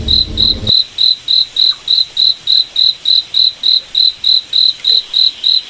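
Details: Forest cricket at night: clear high chirps in a steady beat of about three and a half per second, following a brief burst of low noise at the start.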